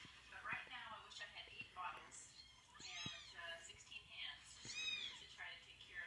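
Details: Little cries from kittens raised alongside a dog: high-pitched, curved mewing calls, several overlapping, spaced irregularly every second or so, with faint background rustle.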